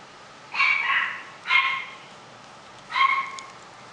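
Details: Pet-shop puppy lets out three high-pitched yips, each about half a second long and spaced roughly a second apart, over steady low background hiss.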